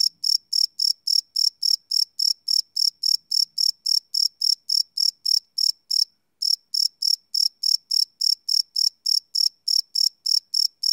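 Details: Crickets chirping at night, recorded live with a Sony PCM D100 field recorder: high pulsed chirps repeated steadily about three or four times a second, with one brief pause near the middle, nothing else audible.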